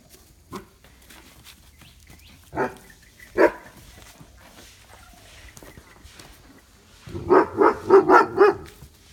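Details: Mudhol Hound puppies from a litter born 11 January 2019 meet their family, including an excited Great Dane, for the first time. A few scattered single barks give way to a quick run of about six loud, harmonic barks near the end.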